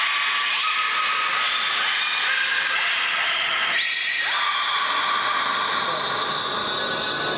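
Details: Captive belugas (Delphinapterus leucas) at Port of Nagoya Public Aquarium start calling all at once, a very loud whistle chorus of steady and gliding tones layered densely together.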